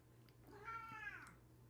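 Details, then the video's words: Female house cat, just woken from a nap, complaining indoors because she wants to go outside: one drawn-out, faint harmonic meow rising and then falling, with a steady low electrical hum underneath. "I'm sorry if you can hear my cat. She literally is just bitching. She wants to go outside. She woke up from her nap and she's like, I'm ready to go outside."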